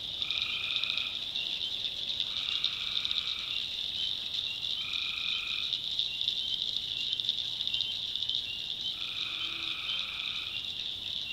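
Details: North Carolina backwoods swamp at night, with tree frogs calling: an even high whining chorus, punctuated by four lower, humming trills of about one second each, spaced two to four seconds apart.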